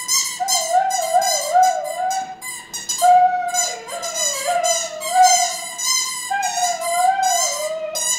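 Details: Delta, a female Siberian Husky, singing with her squeaky toy: a long, wavering, mid-pitched howl that glides up and down in drawn-out phrases, with brief breaks between them and a rich, buzzy overtone edge.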